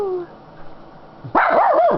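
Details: Happy female Schnauzer resting on a lap gives a brief loud warbling yodel with wavering pitch after a faint falling whine, indoors and close to the recorder.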